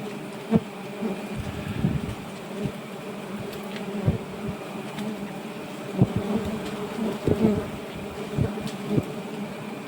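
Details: Giant honey bees at a nest roughly 1.2 m long being harvested: a steady low droning hum of many wings, broken by sharp clicks and thumps at irregular moments.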